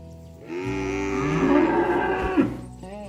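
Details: Ox herded along on the way to the farm barn, calling to its friends at the pen: one long, steady, rich-toned moo lasting about two seconds, swelling and then ending with a brief upward break.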